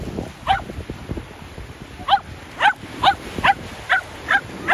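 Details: Shetland Sheepdog playing ball at the seaside, giving a rapid series of high, sharp yipping barks roughly every half second, growing more frequent toward the end, over low wind and surf rumble.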